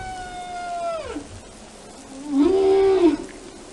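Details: Whale singing: a long steady tone that drops sharply in a downward slide, then after a pause a louder arched moan that rises, holds level and falls away, over a low hissing background.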